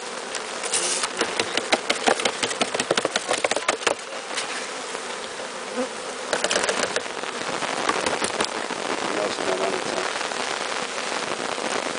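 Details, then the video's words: Hiving a captured bee swarm: a constant droning buzz underlies a run of quick taps and knocks in the first seconds, then the hum carries on steadily. "Hiving a Bee Swarm"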